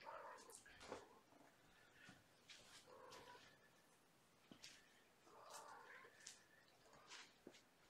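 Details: Kittens from Gamora's litter of five at bedtime during lap and play time, recorded indoors in May 2018; faint, soft harmonic mews come in short groups near the start, around three seconds and around six seconds, with rustling and scampering noises between.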